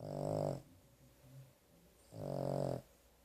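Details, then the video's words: Carley, a dog dozing after a vet trip, produces two coarse, rumbling snores two seconds apart, with faint breathing noise between them in a quiet room. "Carley Snoring"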